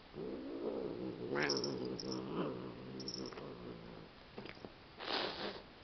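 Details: Two cats licking each other until one suddenly attacks the other and a hissing fit begins; low, wavering growls run throughout, broken by breathy bursts of hissing near the middle and again at the end.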